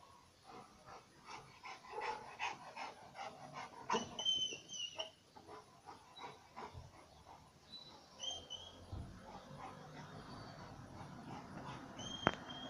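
A Rottweiler gives short, rough, irregular barks while guarding, with a few thin high squeaks in between.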